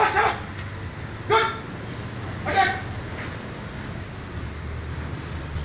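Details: German Shepherd during military squad training, barking on command: three separate sharp barks spaced over a second apart, over steady low background rumble.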